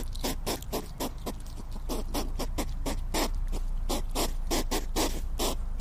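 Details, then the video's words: Hedgehog making rapid, sharp snuffling clicks, about three to four per second in an uneven rhythm, each a crisp broadband tick over a low rumbling background. "Tunog ng PARKUPINO | Sound of HEDGEHOG"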